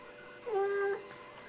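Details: Mal, a talkative Siamese cat indoors, answers with a single level meow of about half a second. The cry is smooth and even, with faint room hum behind it.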